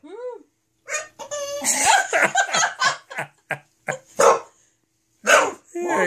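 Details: English Bulldog, upset at being left alone while her owners were in the office rather than the living room, making a run of whiny, grumbling yowls with rising and falling tones, broken by short pauses, while a person talks nearby indoors.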